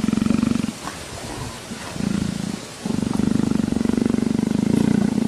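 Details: Leopard purrs in a low, fast-pulsing rumble in bouts with brief pauses, enjoying being scratched behind the ear and asking for petting like a house cat.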